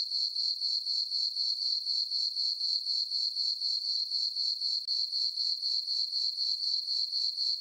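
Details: Crickets on a farm meadow on a peaceful summer night under a full moon; one chirps steadily in a high, pure-toned trill pulsing about four times each second.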